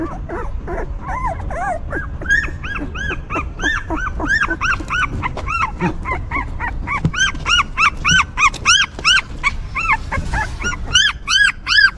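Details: Newborn puppies of a stray mother dog whimper while she cares for them. Their high, arched, whining cries repeat rapidly and irregularly, several overlapping, and grow brighter and denser toward the end over a low rumbling background.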